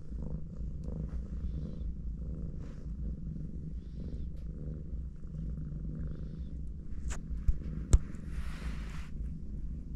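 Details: Mother cat resting and cuddling with her four kittens, giving a steady low rumbling purr that runs through the whole stretch, with a couple of sharp clicks near the end and a brief soft rustle after them.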